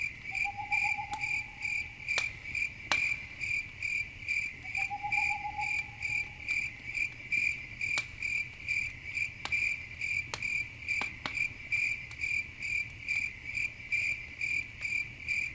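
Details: Crickets chirping in the dark beside a campfire, a continuous high pulsed trill with about one beat per second, two brief lower buzzing notes early on, and frequent sharp pops of crackling firewood.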